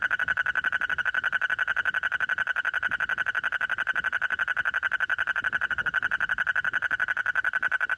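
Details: A frog calls very loudly throughout in one continuous, rapidly pulsed trill. The even, machine-like beats carry a bright mid-pitched tone with a higher overtone, over faint low background noise.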